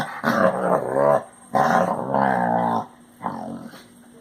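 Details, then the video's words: Basset Hound noises: three drawn-out, groaning whine-growls with strong harmonic bands, the first two long and loud, the third shorter and softer, indoors. "Popis hace ruidos de Basset Hound."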